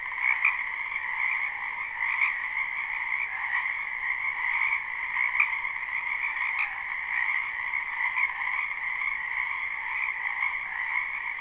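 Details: Frogs massed in a spring wetland, live recording: a steady high trilling chorus with a few sharper, louder croaks popping out every second or so above the dense background.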